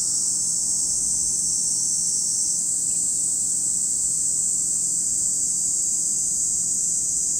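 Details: A continuous shrill chorus of cicadas at Lake Kamo, Sado City, Niigata Prefecture, Japan: a dense, even, high buzzing wash without pauses, with a faint soft chirp briefly audible midway.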